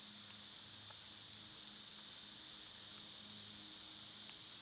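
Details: Summer cicada chorus as a level, high, sizzling drone throughout, punctuated by a few brief high clicks and chirps, with a soft low hum in the background.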